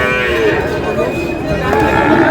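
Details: Sahiwal bull calves at a busy cattle market in Parbatipur, Dinajpur, on 8 May 2026: a short, low, harmonic-rich moo rises above people talking nearby.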